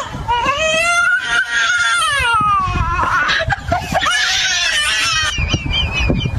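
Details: Baby monkey under a scolding from its mother: long wavering wails that climb and sag in pitch, broken by rough chattering bursts, then fresh piercing cries near the end.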